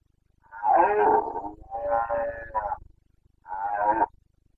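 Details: Carpathian red deer stag roaring during the rut in the Bucovina mountains of Romania, 29 September 2022: three harsh, harmonic bellows, the first long and wavering, the second broken into two surges, then a shorter final roar after a pause.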